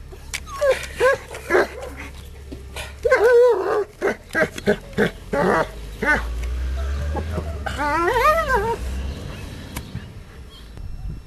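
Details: German Shepherd dog in a garden, digging at a screen while garden work goes on: a run of short, sharp barks, then a wavering, whining yelp over low rumbling noise.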